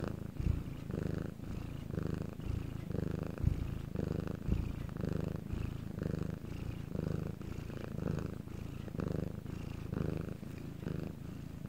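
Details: Soft, rumbling purr from the pet cat Bangul, recorded during a quiet night in Korea; the low drone rises and falls in regular breathing cycles close to one per second over the whole stretch.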